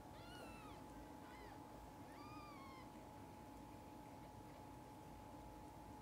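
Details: Mother cat and young kittens: a few thin, high, falling meows early on, then one longer arched cry, followed by quiet with a steady background hum.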